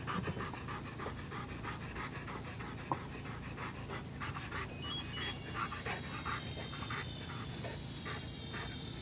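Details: Domestic dog panting indoors, a steady run of quick breathy puffs that repeat several times a second and continue without a break through the whole stretch, with no voices or other clear sounds over it.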